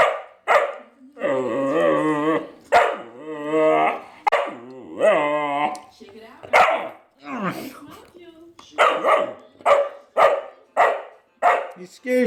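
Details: Young Vizsla puppy Jett, a male in his first weeks, lets out a run of long, wobbling howl-like whines, then switches to a string of short, sharp barks roughly one per second, with brief human chatter mixed in.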